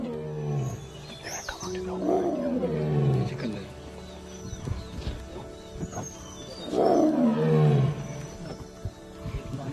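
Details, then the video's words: Tiger calling from the bushes during a safari in Bandhavgarh, giving two deep, drawn-out groaning roars that fall in pitch, about five seconds apart, over steady background music. "TIGER COMES CALLING FROM THE BUSHES!"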